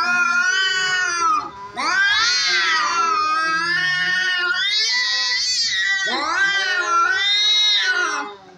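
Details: Cats fighting: loud, drawn-out yowling caterwauls that waver and rise and fall in pitch, with three long bouts broken by brief pauses and a low growling undertone.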